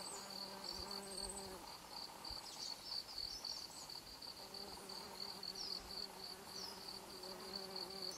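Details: Foraging worker bumblebees, Bombus hypocrita, visit yellow devil's beggartick flowers for pollen and nectar in late September 2012 in Japan. A low, humming buzz rich in overtones comes in two long bursts over steady, pulsing, high-pitched cricket chirping.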